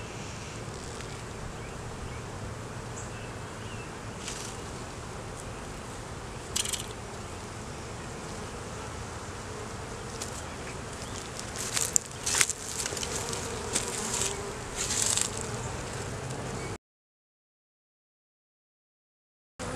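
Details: Continuous droning of honey bees at an inspected beeyard hive where a laying queen and honey turned up, recorded on a Canon Rebel T6 DSLR; scattered clicks and taps of handling build midway before the buzz cuts to silence near the end.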